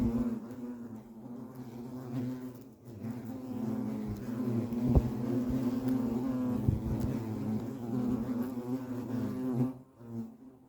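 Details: European hornets humming at the nest, a dense low buzz with rich harmonics, steady for most of the stretch with brief dips and a few sharp clicks, fading at the close.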